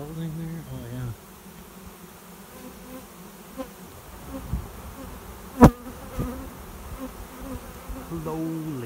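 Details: Swarm of honey bees settling into a swarm trap behind a garage while seeking a new home; individual bees hum past with steady low buzzes that shift pitch as they fly by, one sharp knock midway, soft background hum.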